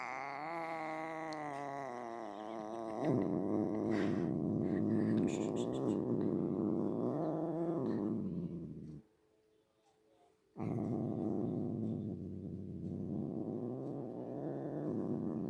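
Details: Pet cat opens with a drawn-out tonal, wavering meow-like call, then shifts into a loud rumbling purr with some uneven swells, a short silence, and more steady purring.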